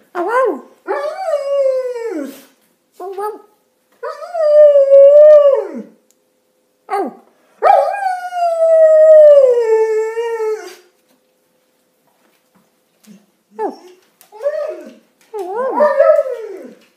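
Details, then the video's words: Six-year-old Keeshond and German Shepherd mix that likes to talk, giving a series of rising and falling howls and whining yodels, some drawn out for about three seconds, broken by short yips and pauses. "HUGE!! talking dog!!!!"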